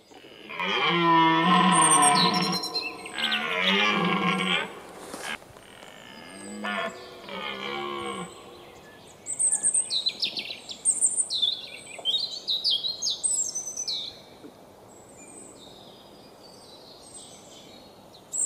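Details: Red deer roaring during the 2017 rut at sunrise in the Weerterbos, filmed with a Panasonic Lumix GH4: a long, harsh, throaty roar, then several shorter roaring bursts, followed by a chorus of chirping, whistling songbirds.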